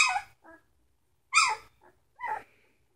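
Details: Three-week-old Samoyed puppies let out short, harsh yelps with softer squeaks between them, three main bursts spaced about a second apart.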